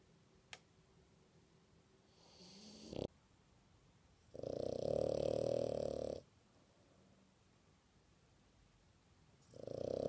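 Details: A sleeping female French Bulldog snores very loudly, each rasping breath lasting a second or two.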